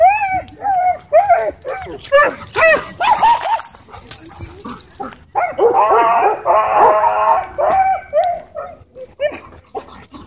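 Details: Dogs at a dog park during an attack by a pitbull hybrid on two dogs. There are repeated high, whining yelps and cries, some rising and falling, with overlapping squeals in the middle and people's voices.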